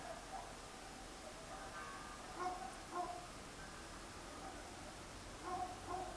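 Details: Distant dogs, many of them, barking at night, captured on a Sony DSC-H200 camera: short harmonic barks in small bursts, roughly two to three seconds apart, over a steady hum and rumble of traffic.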